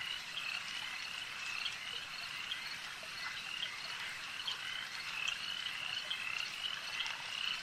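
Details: Frogs at a lake keep up a dense, unbroken high chorus of trills, dotted with faint clicks and brief clear notes rising over the steady hum.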